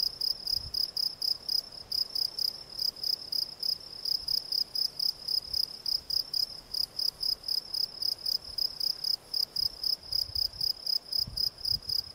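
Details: Field cricket (Gryllus campestris) song: a clear, regular series of piercing chirps, close to four each second, sustained without a break over a quiet background.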